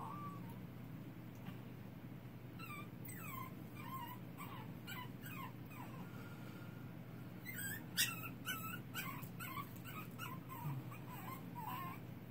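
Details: A baby puppy crying in the dark: a run of thin, high whimpers and squeaky yips, each bending up and down in pitch, coming in quick bursts, louder near the end, over a steady low hum.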